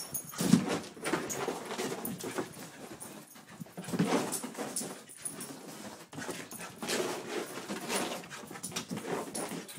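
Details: Two dogs at play, Daisy, a two-year-old Pit Bull, and Louie, an eight-year-old Chihuahua; loud bursts of growling and snarling alternate with panting and scuffles, with a couple of short whiny yelps.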